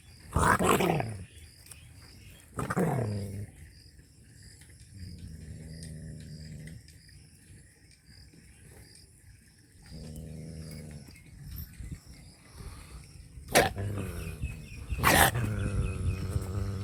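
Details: Angry dog in a village of rural Punjab, Pakistan: a few sharp, loud barks in pairs at the start and near the end, separated by long stretches of low, rumbling growls.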